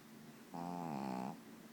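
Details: Domestic dog asleep and snoring, called a real snoring machine; one drawn-out, voiced snort-like drone lasting about three quarters of a second, its tone dipping slightly, over a faint low hum.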